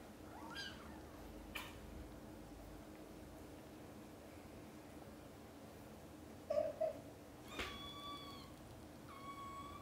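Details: Mother domestic cat calling her playing and sleeping kittens to wake up for lunch time; a few scattered meows, a soft one early and clearer short high meows late, plus small thuds against a low steady hum.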